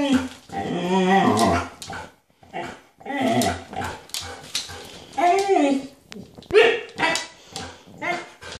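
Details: Husky stalking deer, producing continuous talkative howls and whines with wavering harmonic pitch, rising and falling in repeated bursts across the whole stretch.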